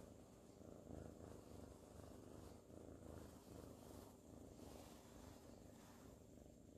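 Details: A cuddled, sleepy ginger tabby kitten named Sir Salmon, filmed in 2019, keeps up a long, even, low vibrating purr with gentle rhythmic pulsing and no breaks.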